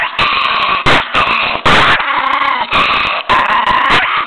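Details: Savage growling from a miniature pinscher, a raspy sustained snarl repeatedly broken by loud bursts of rough noise, like snapping or scuffling.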